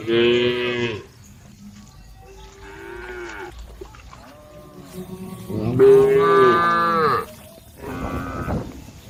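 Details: Tame cows on a road calling the herd: loud, rich harmonic moos about a second long, separated by quieter lowing, with a strong bellow near six seconds and another near eight.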